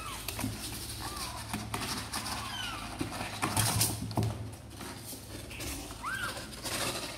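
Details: Kittens of Sor and Kapov, apparently eager to come out and play, give a few short, high, arched meows spread across the clip, with a steady low hum and soft rustling noise underneath.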